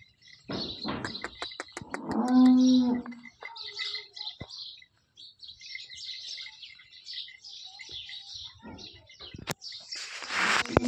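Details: Holstein Friesian cow in her second calving, having calved last night, at a village farm in Sinnar, Nashik, India: one loud, steady, nasal moo lasting about a second, amid chirping birds, clicks and handling noises.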